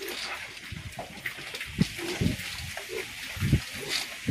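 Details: Batch of pigs being raised for fattening at Granja Boa Esperança, Jenipapo, Campina Grande, Paraíba, Brazil; short low grunts come in scattered bursts, around five over a few seconds, over a steady background hiss and rustling.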